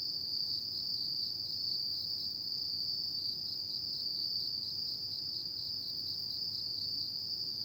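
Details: Autumn insects singing at night: a steady, shrill, finely pulsed trill holds one high pitch without a break, with a thin fainter whine above it and a soft low rumble beneath.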